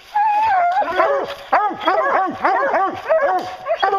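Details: Hounds on a bear hunt baying: a long drawn howl opens, then overlapping arched bawls from several dogs follow in quick succession, loud and continuous.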